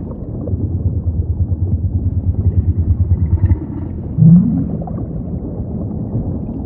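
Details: Humpback whale song: a low, pulsed droning moan held for about three seconds, then a short, louder grunt-like note, all over a steady deep ocean rumble.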